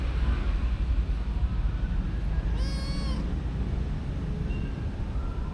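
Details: Kitten giving one clear meow, about half a second long, arching up and then down in pitch with rich overtones, over a steady low rumble of background noise; recorded on a DJI Osmo Action camera.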